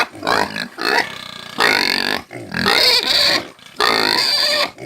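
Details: Country pig (porco caipira) screaming: harsh, piercing squeals about a second long, repeated in quick succession with short breaths between. Rough and very high-pitched.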